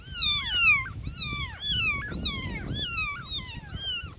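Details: Several newborn kittens calling for their mother, rapid overlapping high meows that slide downward, nearly continuous over four seconds, with soft low rustling underneath.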